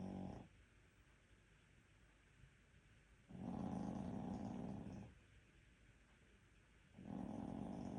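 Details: Maltese dog with rhinitis sleeping indoors, snoring in long raspy rattling breaths lasting about two seconds each, separated by quiet pauses; a person speaks afterward.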